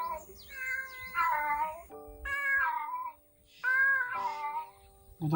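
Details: Domestic cat crying pitifully, seemingly searching for a missing mother cat: three drawn-out harmonic meows, each wavering and falling slightly, with a steady background tone and soft music underneath.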